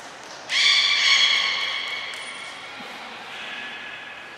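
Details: A single sustained, harmonic squeal from belugas training at Port of Nagoya Public Aquarium on 2 April 2023, with every animal taking part; the call starts abruptly, holds steady for about two seconds, then fades into the room's echo.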